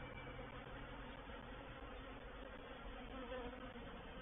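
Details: Reproductive swarm of honey bees moving into a bait hive at Painted Peacock Manor on 04/07/21; a dense, steady hum of many wings with a banded drone, unbroken throughout, no other sounds standing out.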